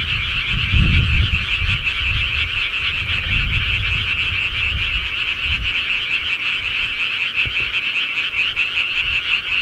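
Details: Night chorus of countryside frogs, rapid overlapping croaks pulsing steadily, accompanied by soft low rumbling bursts in the first half and an occasional faint click.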